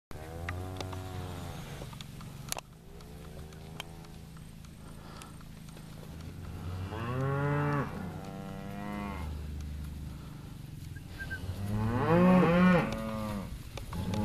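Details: Angus cows four and five years old, pregnancy-tested in calf to Bonsmara bulls, give two drawn-out, harmonic-rich moos about four seconds apart over a steady low rumble.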